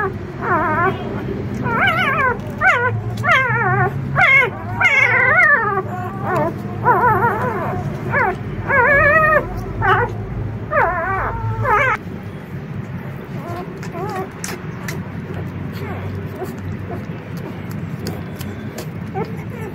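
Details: Excited four-day-old puppies, a litter of four, as their experienced mother Rosalie tries to enter the puppy room safely. Dense, high whimpering yips and squeals repeat about once a second for twelve seconds, then fade to a quiet murmur.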